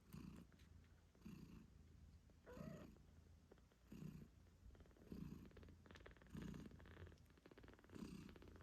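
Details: Moon Stone, a British Shorthair mother cat, purring as she nurses her kittens eight days after birth; steady low throbbing purr in regular bursts roughly every 1.3 seconds, no music.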